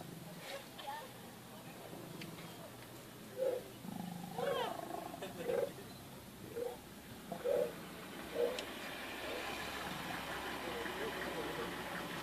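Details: Wild lion during mating season, heard on safari: a series of about six short, deep grunting bursts spaced roughly one second apart, and fading toward the end, over soft human voices and a low vehicle hum.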